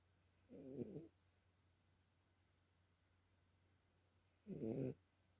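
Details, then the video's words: Dog dozing with two rough, fluttering snore breaths about four seconds apart, each lasting around half a second, against a faint electrical hum in a quiet room. "Cute Dog snores / Милая собачка храпит"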